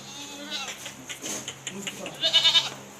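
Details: Beetal goat at a goat farm in Kalgachia, Barpeta, Assam, heard in a short nasal bleat with wavering tones, plus a quick series of higher pulsed bleats near the end over a steady low hum and background noise.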